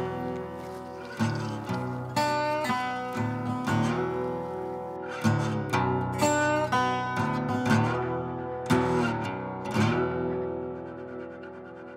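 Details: Plucked acoustic guitar music with chords struck roughly once a second and ringing out, with no animal sounds.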